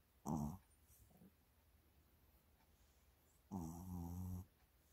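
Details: Shih Tzu named Mini enjoying a massage indoors; two low, rumbling groans, the first short and the second longer at about one second, with a faint soft grunt between them in a quiet room.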